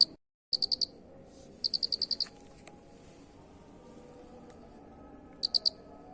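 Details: A unique cricket in a masteran recording. After a short silent dropout, two sharp high pulsed chirps come close together, then a gap of about three seconds before a final brief trill of three pulses.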